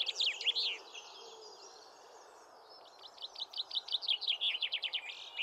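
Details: Cheetah cubs, four siblings born October 2023 to first-time mother Jetts, playing in the main paddock at Hamerton Zoo in September 2024; high bird-like chirps, a cluster at the start then a quick rapid series of short repeated chirps.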